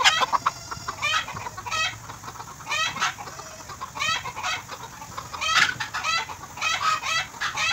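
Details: Tame goat kid bottle-fed in Bahrain, calling in a run of short quavering bleats, some closely doubled, roughly one or two per second, over a faint steady hum.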